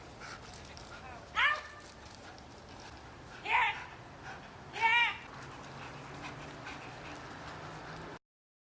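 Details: German Shepherd barking: three sharp, loud barks spaced about two seconds apart over a steady background hiss, then quiet.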